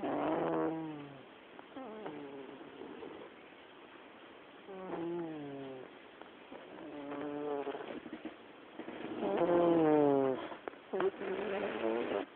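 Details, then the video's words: Black cat snoring in a living room: repeated rough, wavering rhythmic breaths every two to three seconds, harmonic and nasal, growing louder near the end, with a person briefly speaking afterwards. "Gato roncando"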